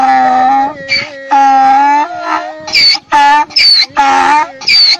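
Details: Donkey braying along as people sing and talk in Turkish: loud, harmonic cries that alternate between lower drawn-out tones and shorter higher-pitched squeals, repeated in uneven bursts across the clip.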